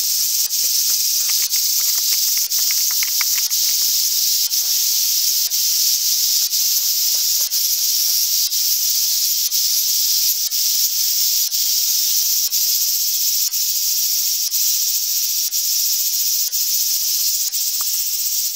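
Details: Large brown cicada (Graptopsaltria nigrofuscata) in Japan, a dense, sizzling, steady hiss sustained without a break for the whole eighteen seconds, with faint rhythmic ticks running beneath the drone.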